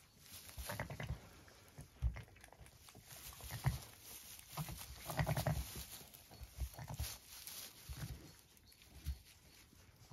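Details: On an Irish regenerative farm in County Kilkenny, a Zwartbles ewe murmurs to her two newborn ram lambs, born at 6am. Repeated deep, gentle grunts and throaty rumbles come in short clusters, with light shuffling noises.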